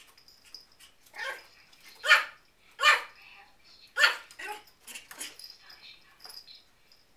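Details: Levi, an 8-week-old miniature Schnauzer puppy, giving its first barks after just learning how; four sharp, bright yaps about a second apart, then softer yips, with a person's voice and a faint high whine in the background.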